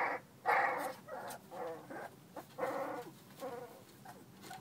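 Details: American Bully puppies playing, giving short rough growling and yapping bursts in quick succession, several overlapping, with brief pauses between noisy outbursts.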